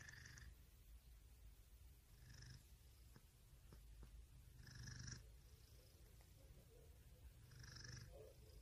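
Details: Cat purring in a continuous low drone, broken roughly every two to three seconds by faint whistly nasal breaths, with a few light clicks.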